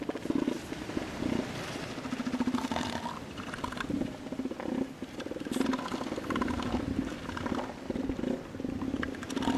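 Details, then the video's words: Fighting elephant seals competing for females give rapid, low, rattling pulses almost without pause, a deep throbbing roar that swells and fades over and over, with some rough higher noise mixed in. "elephant seal fight"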